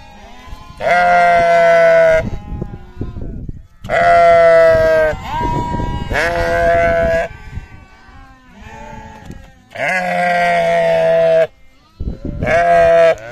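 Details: Farm sheep and lambs calling with several drawn-out, quavering bleats lasting one to two seconds, spaced by quiet gaps, some calls overlapping with a lower voice.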